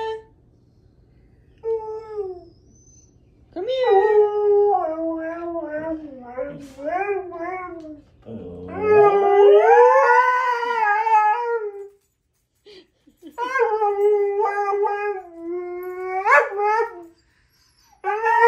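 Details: Siberian Husky howling in drawn-out, wavering tones that rise and fall, with several separate howls broken by short pauses and a long swelling howl near the middle.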